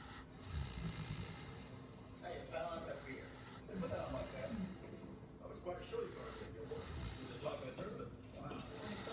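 A Great Dane snores in deep, rasping rumbles that return every second or two.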